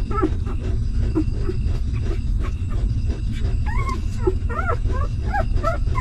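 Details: Newborn puppies of a stray mother dog, hungry and suckling milk, give thin whining whimpers. Short squeaks come first, then rising and falling whines grow more frequent toward the end, over a steady low rumbling background.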